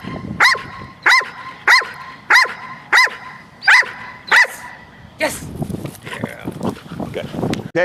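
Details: Trained domestic dogs barking on cue at a ball, a beginning stage of alerting and protection work; seven crisp, regular barks about every 0.6 seconds, followed by a man talking over mixed background noise.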